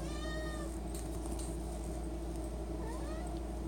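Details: Domestic cat begging for Friskies treats at the pantry: a clear harmonic meow at the start and a rising meow near the end, over a steady low hum.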